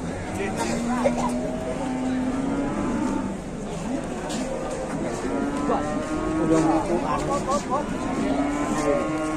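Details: Huge cow from Indonesian cattle-farming content gives several long, low, steady moos, each lasting about a second and a half, with overlapping human chatter and crowd noise throughout.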